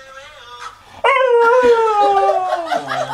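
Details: Husky puppy singing along to the song "Everybody say Wayo": a drawn-out, wavering howl that slides slowly downward after a soft, quieter opening note.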